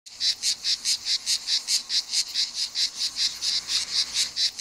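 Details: Male grey cicada (Cicada orni) singing on 7 July 2022 at Mecina Bombarón, Andalusia, Spain: a steady run of short, harsh buzzing pulses, about four to five each second.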